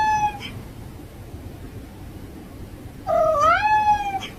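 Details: Domestic cat indoors giving a brief meow, a pause of quiet room noise, then a longer, louder meow that dips and rises in pitch before trailing off.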